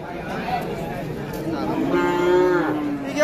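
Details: Cattle at a crowded Qurbani cattle market in 2024: a drawn-out, low, steady moo rises out of busy human chatter and bargaining voices, holding its tone for over a second before fading.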